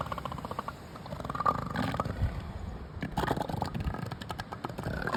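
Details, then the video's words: Juvenile and young southern elephant seals on a beach on Sea Lion Island, Falkland Islands, in December: harsh, low guttural roars and bursts of growling, uneven and overlapping, with broadband clicks and wind noise. "Southern Elephant Seals, Falkland Islands, December, 2024"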